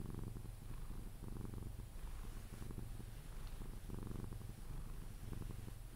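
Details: Sphynx cat Pepe purrs contentedly while cuddled, drifting toward sleep; a deep throbbing purr pulses in even inhale-exhale cycles, close-miked and indoors with no other sounds.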